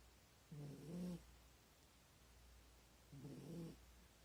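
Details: Corgi dog snoring hard while lying in an awkward sleeping position: two coarse, low rattling snores, the first longer and rising at its end, separated by quiet breathing and a soft hum.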